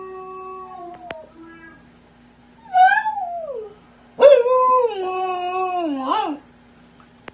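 A Siberian husky puppy gives a few long, tonal howls, each bending up and then falling away in a wobbling slide. Between the howls there are quieter whimpering tones and a low steady hum in the background.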